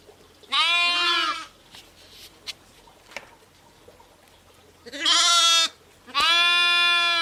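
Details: Sheep with lambs bleating: three bright, harmonic, quavering calls, one early and two close together near the end, separated by a quiet pause with faint background clicks.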